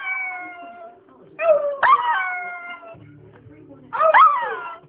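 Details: Shih Tzu (Canis familiaris), howl: answering a person's howling.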